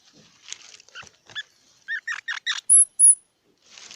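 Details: Squirrel giving a quick run of short, harsh, squeaky chirps that speed up toward the end, then two thin, very high whistled notes and a soft hiss.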